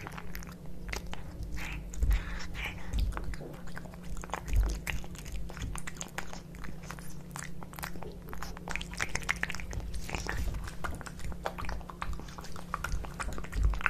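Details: Two pet cats, Kitkat and Leo, eating tuna fish wet cat food indoors: wet smacking and chewing with dense, irregular clicks and soft bites throughout, over a low steady hum.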